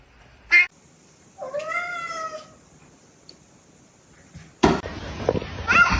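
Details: Domestic cat giving a single drawn-out meow, bending up then gently falling, lasting about a second; a sharp knock comes just before it, and a burst of rustling and clattering noise follows near the end.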